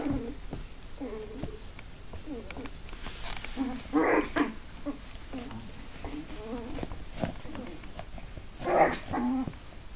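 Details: Papillon puppies giving soft, low whining grunts and squeaks in a repeated, uneven series, over a steady background hiss with occasional louder bursts.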